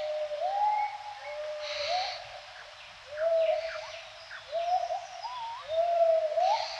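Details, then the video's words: Gibbons at dawn give mellow hooting notes, each sliding upward at its end, in spaced pairs with pauses between, while a faint insect drone continues behind. "ASMR เสียงยามเช้าชะนี"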